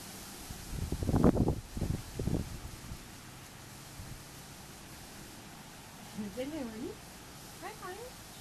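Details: Four-week-old Havanese puppies: after a burst of human voices and handling noise, a puppy gives thin wavering whines that rise and fall twice near the end, each lasting under a second.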